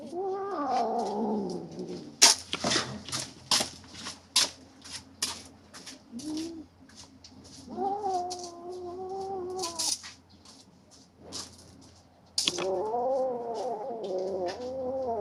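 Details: Three-month-old kittens squabble over a rat snake they hunted, letting out long, wavering, moaning growl-yowls in three drawn-out bouts, at the start, middle and end, separated by sharp clicks, taps and rustling.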